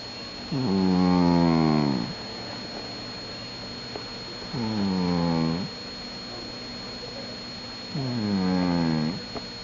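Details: Jack the cat snores in his sleep: three low, rasping, droning breaths roughly every three and a half seconds, each swelling then stopping abruptly.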